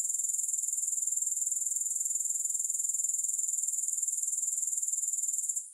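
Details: Even, rapidly pulsed, very high-pitched trilling of grasshoppers that holds steady and then fades away at the very end.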